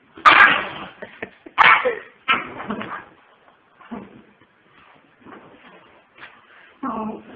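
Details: Pomeranian puppies giving sharp, breathy yips in quick bursts early on, then scattered softer yelps, ending with a short harmonic whine; quiet gaps between calls.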